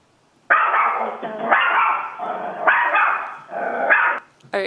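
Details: Barking Chihuahua heard in a dog-breed guessing quiz; four long, shrill, rasping barks in quick succession, then a brief clipped sound at the very end.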